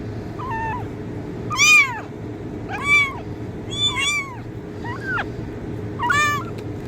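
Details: Kitten meowing, offered as a sound to attract cats: five short, high mewing calls, each arching up then falling, spaced about a second apart over a steady low background hum.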